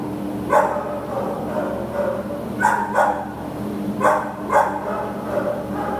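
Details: American Pit Bull Terrier up for adoption, September 2015: short, harsh barks arriving singly and in pairs, about five across six seconds, set against a steady low mechanical hum.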